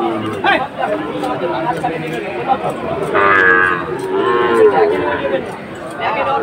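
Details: Sahiwal breed bull at a cattle market in Faridpur, Bangladesh, on 1 June 2024, being bought by a farmer. Two drawn-out, harmonic moos arrive midway, set against steady human chatter and background music.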